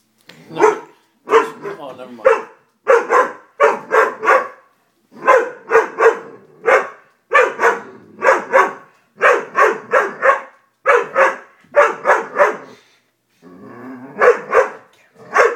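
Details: Dobermann puppy, afraid of a stuffed toy, barks in rapid bursts of two to four, sustained almost continuously for fifteen seconds with only brief pauses.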